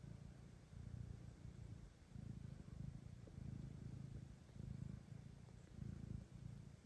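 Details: Domestic mother cat Kira, nursing her own kitten as two blind orphaned kittens are brought to her for adoption; a low, rumbling purr swells and fades in steady pulses roughly every second and a half, with no other clear sounds.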